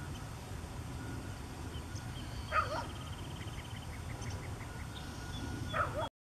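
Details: On a morning along the Santa Margarita River, a distant dog gives two short, single barks about three seconds apart over a steady low river rush, with faint bird trills and chirps from mallards, yellowthroats and a yellow-breasted chat.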